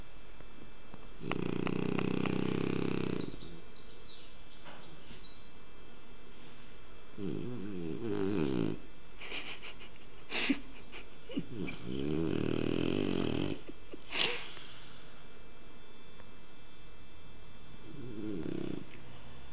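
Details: Loud snoring from Kike the French Bulldog as he sleeps: a series of harsh, rumbling snores of varying length, some rattling and wavering, spaced by short pauses, with a couple of sharp clicks.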